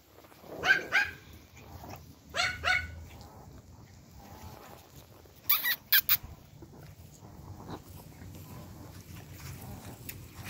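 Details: Pomeranian puppies and dogs in the Anjula Pomeranian pack being given treats; two quick pairs of sharp, high yapping barks in the first three seconds, then a burst of clicking clatter near six seconds over a low steady hum.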